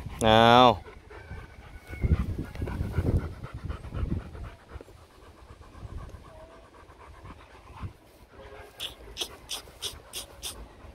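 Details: Male Rottweiler Loki and female Siro during mating. A short, loud, wavering high whine opens, then breathy rhythmic panting bursts repeat near the end, with low handling noise and a quiet human voice in between.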